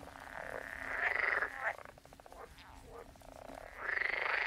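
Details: Frogs croaking at a distance: drawn-out nasal calls rising at the start and end, with a rapid rattling pulse between them, over a hissing background.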